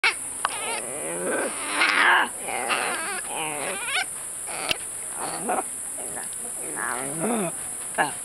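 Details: Baby howler monkeys at the Jaguar Animal Rescue Center in Playa Chiquita, Costa Rica, a rehabilitation center for mistreated, injured or confiscated animals: short, high, wavering whimpers and squeals come in irregular bursts over a steady high hiss.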